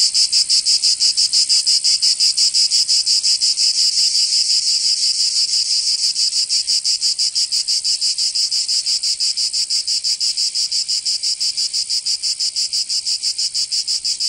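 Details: Loud cicada song in the Provençal summer, southern France: a continuous high rasping drone beaten into fast, very regular pulses, slightly softer toward the end.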